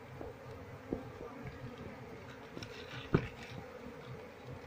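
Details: Buzzing of a wild Apis cerana colony as beekeepers hunt for the queen to move the swarm into a box; an even droning hum broken by two sharp knocks or taps.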